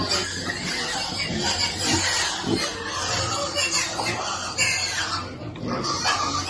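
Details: Baby piglet waiting for food at feeding time, giving dense, noisy squeals and grunts that run through the whole stretch with little pause, set against a busy background that may hold music.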